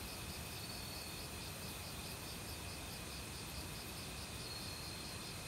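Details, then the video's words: Forest crickets in autumn chorus with assorted insects, quick rhythmic pulses repeating steadily over a continuous thin, high trill, while a valley stream rushes loudly underneath throughout. "가을 귀뚜라미 소리"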